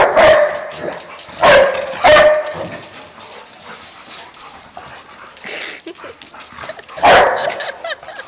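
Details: Two playing Labrador Retrievers give loud sharp barks, a burst at the start, a quick pair soon after, then a quieter stretch before another strong bark near the end.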